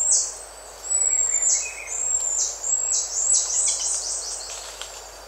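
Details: Buffy-headed marmoset contact calls at close range: a string of long, thin, very high whistles, each held level and then dropping sharply at the end, repeated about every second, over a soft background of birds and insects.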